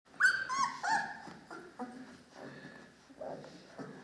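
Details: Dogo Canario puppies from a litter born to two named parents, recorded 11 October 2015, giving high whining whimpers and squeaks, several overlapping in quick succession, with a woman's voice speaking German afterward indoors.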